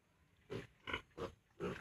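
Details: Farm piglets at 32 days old, about to be weaned from their sow, give four short harsh grunts spaced about a third of a second apart over a quiet background.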